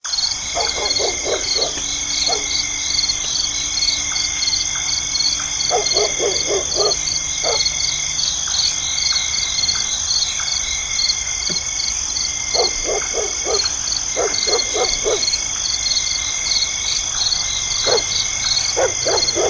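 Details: A dense night chorus of insects chirps and trills steadily, with distant dog barks breaking in now and then.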